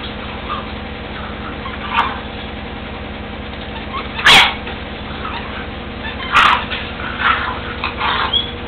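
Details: Seven-week-old puppy siblings playing hard together in their puppy area: short high yips and sharp barks burst out at scattered moments, about three clear ones, over a steady low electrical hum.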